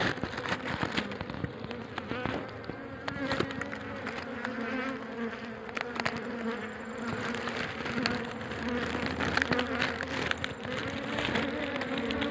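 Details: More than ten layers of honey bees inside a small, deep hole in a coconut tree fill the air with a dense, steady buzzing hum from many wings at once.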